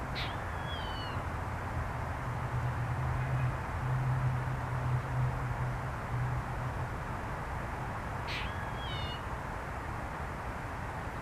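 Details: A squirrel on a warm January day gives two brief, high, squeaky calls that slide downward, several seconds apart.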